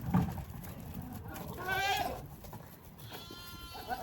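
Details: Male goat calling while courting pregnant females in mating season; a single wavering bleat with stacked harmonics near the middle, preceded by a low grunt, with a steady high hiss and outdoor background noise throughout.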